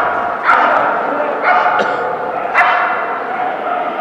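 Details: At a Keeshond Club of SoCA AKC event, Friday 30 December 2011, the Keeshond Maggee gives three separate short barks about a second apart against a background of talking people.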